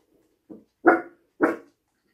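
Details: Little dog indoors in an apartment gives a soft short yip, then two sharp, loud barks about half a second apart in a quiet room.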